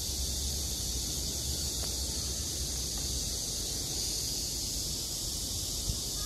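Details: A continuous, dense high buzz from cicadas on a summer night holds steady without pauses, over a low rumble of background noise and a couple of faint short clicks.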